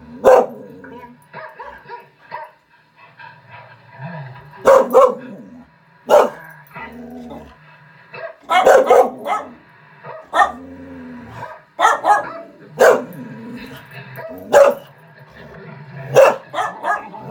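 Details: Norwegian Elkhound named Kiera watching other elkhounds on a screen, answering with bursts of loud sharp barks, often in doubles and triples, spaced irregularly over the stretch, with softer whines and quiet room noise between.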